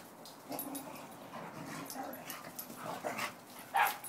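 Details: Australian Cattle Dog playing with a shepherd-husky mix companion dog, giving short scattered whines and yips, with a sharper louder yelp near the end; quiet indoor background.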